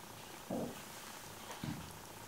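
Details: Maine Coon kittens, 27 days old, indoors; two short soft mews about a second apart over a steady low hiss.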